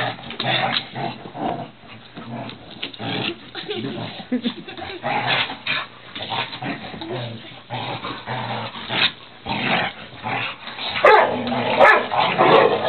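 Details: Several pet dogs playing together indoors in a living room, giving rough, rumbling growls and scuffling noises at irregular intervals, with people talking over much of it.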